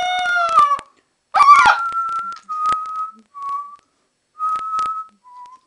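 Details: Two-month-old Alaskan Malamute puppy howling while playing indoors: a harmonic, falling howl opens, followed by a burst of rough yelping and then a string of thin, steady high tones with short pauses between them.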